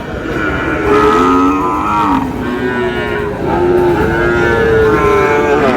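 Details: Sahiwal bull calves for sale at the opening of Ambari cattle market in Dinajpur on 10 July; several drawn-out, low, steady moos with layered harmonics overlap amid the constant murmur of buyers and sellers talking.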